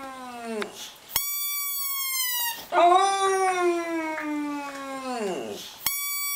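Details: Domestic dog singing by howling: long tonal wails rich in overtones, falling at the end, alternating with a sustained bright high-pitched tone and brief pauses.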